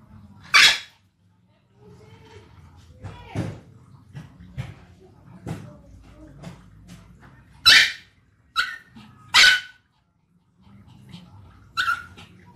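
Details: Dog giving irregular sharp barks, several loud and ringing, some softer and clipped, spread across the clip with a low background hum and faint voices between.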